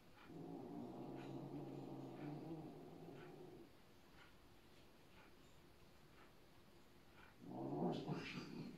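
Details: Bengal cat asserting rank over another cat: a long, steady low growl for several seconds, a quiet pause, then a louder harsh snarl at the end.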